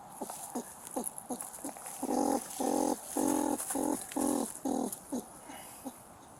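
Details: An agitated squirrel, stuck in a fence with a trap around its paw and biting at a rescuer's gloves, gives a run of short, nasal, harmonic squeals about twice a second.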